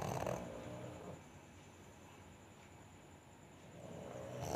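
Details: Snoring pug: a harsh, rattly breath at the start, a quiet stretch of low breathing, then another rasping snore building at the end.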